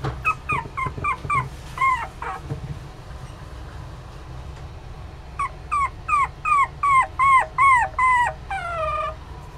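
A Poodle-Chihuahua mix puppy gives quick runs of high, arched yips, ending in a longer falling whine.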